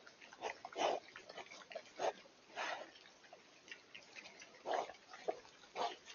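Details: Wild boar in the Eifel forest in early October 2024, captured on a Coolifepro PH960W camera: short, rough grunts and snorting bursts at irregular intervals, about six in six seconds, over quiet background hiss.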